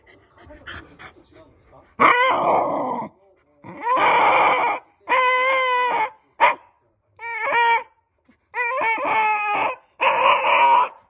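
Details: A Shiba Inu, furious because its favourite bottle cap has fallen under the sofa, lets out loud, harsh, wailing barks in bursts about a second long.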